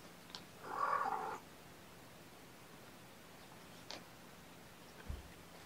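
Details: A single strong, drawn-out meow from Gamora, a mother cat calling the babysitter to come in on the morning of June 6, 2018, followed by near-silence with a few faint taps.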